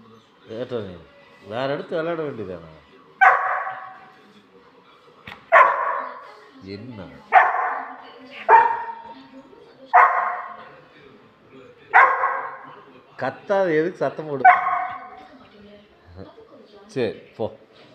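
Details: Labrador Retriever puppy making short, harsh barks at a steady pace, about every two seconds, mixed with high, wavering whines and yips between them.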